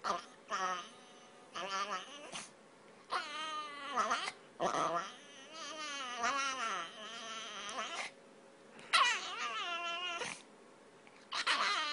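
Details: Snickers, a spoiled pet dog, whining at a door and begging for food; high wavering whines in repeated bursts with short pauses, rising and falling cries over about twelve seconds.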